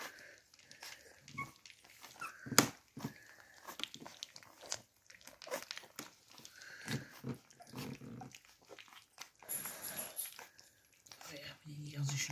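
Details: Beagle puppies eating their first solid meal: wet smacking, lapping and sharp chewing clicks in irregular bursts, with one loud snap near the middle and a brief harsher scuffle toward the end.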